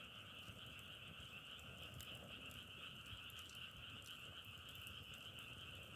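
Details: Frog chorus as a steady, dense, unbroken trill with two high bands held throughout, scattered sharp crackles over a low rumbling background.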